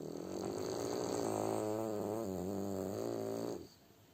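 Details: French Bulldog named Kuzya snoring while asleep at home: a long, rough, droning breath with a steady low buzz and wavering harmonics, holding for about three and a half seconds before stopping, room otherwise quiet.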